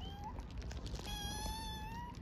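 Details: Homeless orphaned kittens begging for food in Istanbul give a short meow, then a long, level, high-pitched cry about a second long, over low city rumble.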